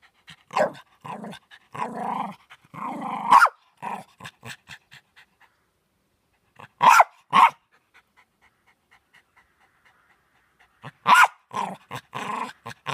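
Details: Harvey, a Jack Russell Terrier, barking as usual: loud, sharp barks mixed with rough growling bursts, come in clusters separated by quiet gaps, with a soft series of faint short sounds in between.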